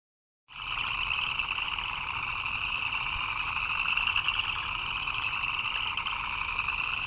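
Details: Frogs chirping in the rain, many calling together: a dense, unbroken chorus of fast pulsing chirps in two steady bands, one middle-high and one brighter and shriller, starting abruptly after a brief silence and holding level throughout.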